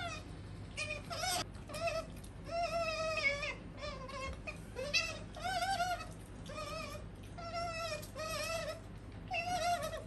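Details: Sakura, a female pet otter, gives a rapid series of squeaky, wavering whistled calls with strong overtones, short bursts repeated close together across ten seconds over a steady low hum.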